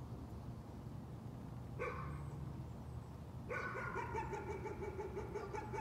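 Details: Dog nuisance barking: one lone bark, a pause, then a fast string of repeated yappy barks continuing to the end, over a constant low rumble of background noise.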